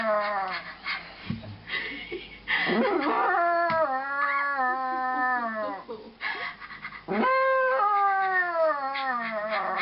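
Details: A Bichon Frise gives weird drawn-out, wavering howls and whines, rising and falling in pitch, in response to a certain video.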